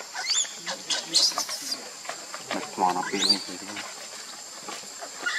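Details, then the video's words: Baby monkey Lucie, angry with her mother Luna, cries in shrill, sharply rising screams with a few lower voiced sounds between them. The bursts are uneven and come about every two seconds. "Cute baby monkey Lucie is angry with Mommy Luna seizure crying"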